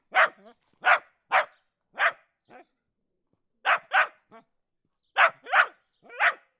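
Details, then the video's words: Dog barking in short, sharp bursts, mostly two or three barks close together, each followed by softer trailing yips, with clear pauses between groups; clean recording with no other sounds. "Dog Barking"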